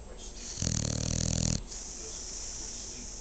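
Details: A sleeping female dog lets out one loud, rough, rattling snore lasting about a second, with a deep buzzing vibration, followed by quiet breathing and steady background hiss.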